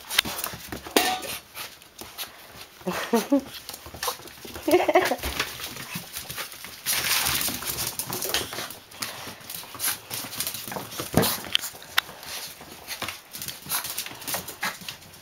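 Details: Dogs play with a black puppy just let out of quarantine and able to mix with them again; short high whimpering yips around the third and fifth seconds over scuffling, clattering play noise and a steady high whine.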